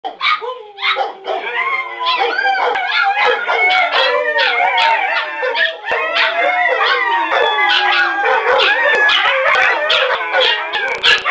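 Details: Several dogs, including huskies, a Rottweiler, a pit bull and a chihuahua, howling together in a dense overlapping chorus of long wavering tones mixed with yips and short barks, continuous throughout.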